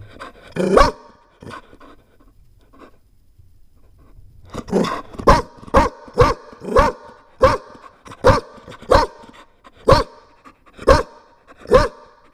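A Chow Chow puppy barks in sharp, rapid bursts, repeated roughly every half second.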